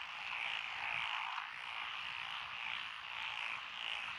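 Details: Frog chorus over lotus rice paddies in Echizen, Fukui Prefecture, Japan, June 2021, from several named species including Schlegel's green tree frog. Blended, smeared trilling croaks merge into a steady hum with little break between calls.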